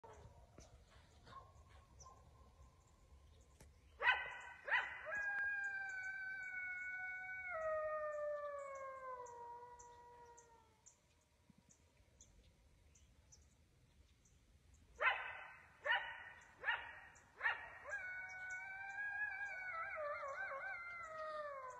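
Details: Coyote howling at dusk close below a deer stand in the woods, a wild animal heard as darkness falls: bursts of sharp barks followed by long sliding howls that fall in pitch, a second round of barks and wavering howls later.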